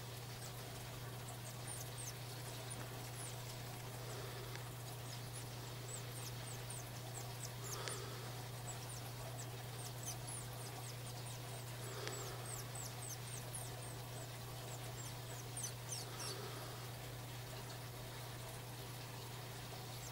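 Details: Nursing Mongolian gerbils, mother with young: a busy stream of tiny high-pitched downward-sweeping squeaks, bunched in bursts, some soft rustling thumps, all over a constant low hum and background hiss.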